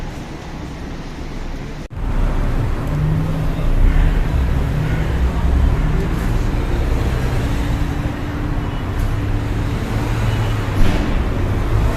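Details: Loud outdoor traffic rumble dominates after a sharp click near two seconds, with faint hiss, no animal voice.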